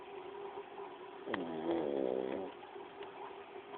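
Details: Paco, a pug, snoring: one raspy, harmonic-rich snore lasting about a second rises out of a steady low indoor hum, with a faint click near its start.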